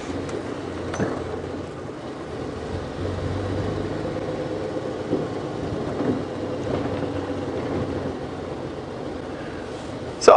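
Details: A steady vehicle engine rumble with low mechanical noise, and no animal calls.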